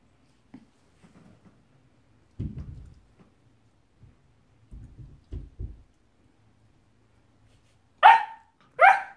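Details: Nine-week-old Labradoodle puppy indoors meeting a one-year-old guinea pig: soft thumps and shuffles, then two sharp, high yappy barks about a second apart at the end.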